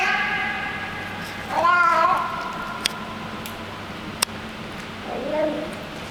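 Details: Hungry street cat that hangs out in a building's garage basement, making funny happy noises while eating food; harmonic meow-like wavering calls in two bursts, first longer and louder, second short near the end, over steady background hum and clicks.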